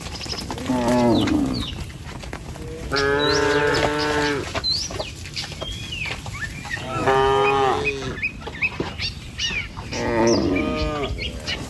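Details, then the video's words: Village cattle, tame cows walking in a line across a wooden bridge toward pasture: three drawn-out harmonic moos at roughly four-second intervals, with chirping birds in the background. "Sapi Lembu Jinak Berjejer Melewati Jembatan Kayu Menuju Rumput Sedap Suara Moouu"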